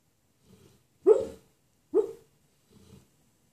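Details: Sleeping dog dreaming during a morning nap gives two short muffled woofs about a second apart, each framed by faint snuffling breaths, in a quiet indoor room.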